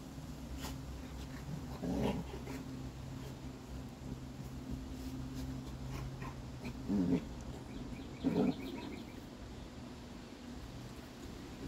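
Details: Six-week-old Labrador Retriever puppies having fun at play, giving three short growly yelps near two, seven and eight and a half seconds, otherwise quiet apart from a steady low hum.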